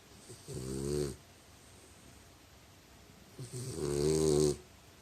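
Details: Snoring French Bulldog, two rattling harmonic snores about three seconds apart, each around a second long, the second louder and rougher, with quiet pauses between them.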